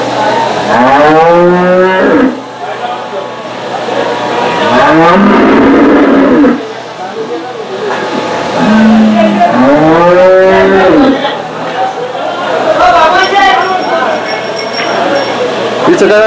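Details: Native desi cows at the Saturday cow market in Chakan, 3 January 2026. Several long, arched moos rise and then fall, about four in sixteen seconds, over steady chatter from people bargaining and the hum of vehicles.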